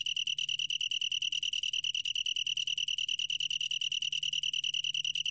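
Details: Continuous pulsed chirring of a long-tailed tree cricket, 2020 National Institute of Biological Resources recording: a bright, high tone beating quickly and regularly without pause, over a quiet background.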